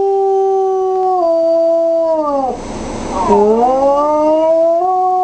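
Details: Four-year-old female wolfdog, missing her owner who is in hospital, howls at the sound of her voice on speaker phone; a sustained tonal howl dips and slides down, then rises back to a steady held pitch.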